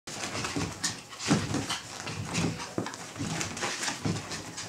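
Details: Pet Chihuahua indoors in a small room, expressing joy: short, breathy whimpers and grunts in uneven bursts, with scuffling and rustling between them.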